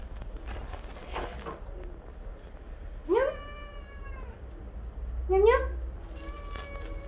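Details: Hungry Siamese cats (seal point Licko, lynx point Mićo and Lea) meowing loudly to beg for beef. A person talks softly, then two separate meows follow, each rising quickly then falling, about two seconds apart.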